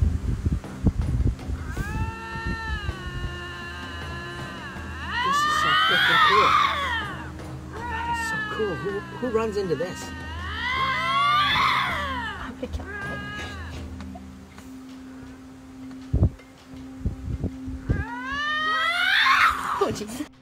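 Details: Pair of lynxes in Ontario 'conversing' face to face, recorded from a halted car. Three drawn-out bouts of moaning, warbling yowls with pitch swoops, separated by quieter gaps, above a steady low engine hum.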